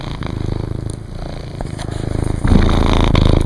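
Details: An adult male cat, father of a litter of orange kittens gathered in a laundry basket indoors on September 7, 2010, purrs steadily, a deep rumbling vibration that swells louder near the end.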